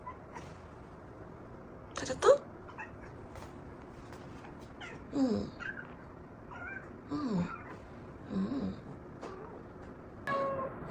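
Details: A pet cat meowing indoors in the morning to wake its owner: a few short rising-falling meows spaced a second or two apart, with a person speaking softly in Korean and small rustling sounds.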